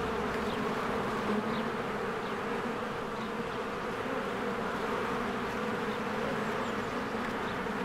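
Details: Honeybees streaming in and out of their cozy hive on a spring day produce an unbroken buzzing drone. Scattered faint high chirps sound over the even, dense hum.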